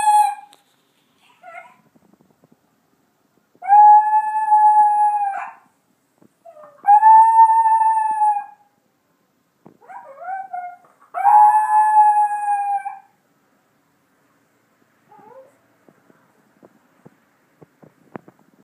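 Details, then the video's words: Howling wolf, described as little and still howling over his girlfriend; several steady harmonic howls of one to two seconds with short broken yips and whimpers between, fading to faint clicks at the end. "Litle Howling Wolf"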